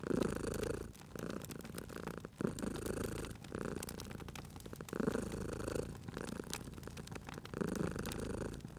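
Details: Cute sleeping cat purring near a crackling fire; deep, even rumbling purr comes in alternating breath phases of about a second each, with brief quiet gaps between, while wood snaps and clicks from the fireplace scatter across the clip.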